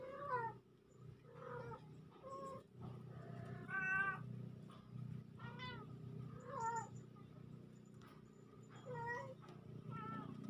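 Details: Two kittens meowing indoors, recorded October 17, 2024: short rising-falling mews, about ten over ten seconds, spaced irregularly, with a steady low hum underneath.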